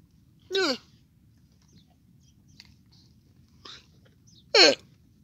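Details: Young camel letting out two brief, sharp, descending cries about four seconds apart, with faint soft noises in the quiet gap between them.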